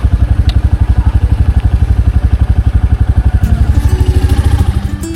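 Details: A motorcycle engine throbs steadily throughout, with a faint background tone entering near the end and no animal sounds.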